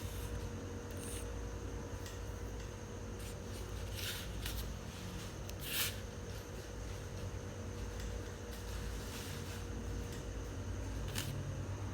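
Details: Steady broadband hiss and low rumble with a faint constant hum and a few soft bumps are heard, with no frog calls.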